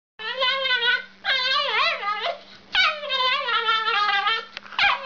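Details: Weird little dog giving strange, freaky vocalizations: long harmonic whines and yelping cries that waver up and down, in about four drawn-out bouts with short gaps, over a steady low electrical hum.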